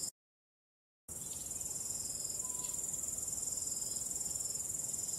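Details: After a second of silence, a starry-night cricket chorus starts abruptly as a bright, high continuous trill with fine rapid pulsing, backed by soft low wind noise.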